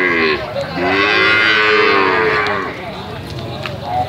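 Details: A young calf lets out one long, sweet-toned moo that swells and fades over nearly three seconds, followed by quieter murmuring and a few faint clicks.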